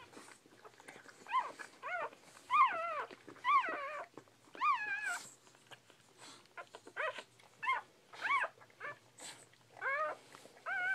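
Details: Newborn Bull Pei puppies crying in a steady run of high, wavering whimpers and squeals. Each cry bends up and then drops away, coming in quick bursts about every half second to a second, with soft rustling and clicks in between.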